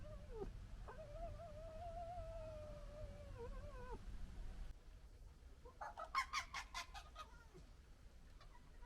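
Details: Local red fox family arguing: a long wavering high whine held for about three seconds over low background rumble, then after a pause a short burst of rapid stuttering gekkering clicks.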